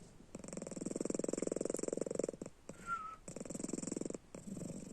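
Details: Domestic cat snoring while asleep with its eyes open, indoors: rapid pulsed rattling bursts of about two seconds and one second, separated by brief pauses with softer breathing, plus a short thin whistle-like tone in the gap.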